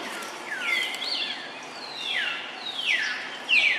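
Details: Jody, a young monkey beside his mother Jane, makes noise while eating fruit: shrill whining squeals that start high and drop steeply, four or five in quick succession, the last one loudest.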